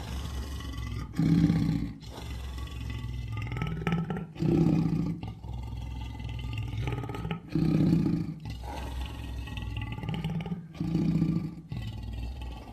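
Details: Lion giving a sequence of deep, grunting roars roughly every three seconds, each a short low heave over steady background hiss and rumble.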